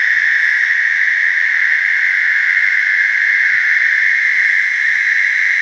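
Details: Mating chorus of American toads in a slough: an unbroken, even-pitched high trill with faint upper overtones, sustained at constant loudness throughout, no pauses and no other clear animals or noises.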